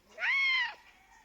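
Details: Pet cat meowing at its owner, seeking attention and company; one clear arched meow, rising then falling, about half a second long, with a quiet room behind it.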